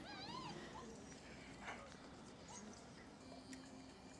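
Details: Five-week-old Šarplaninac puppies from a kennel's C litter, out of the kennel for the first time; a short burst of high, wavering whimpers with stacked overtones opens, then fades into a steady low hum and background noise.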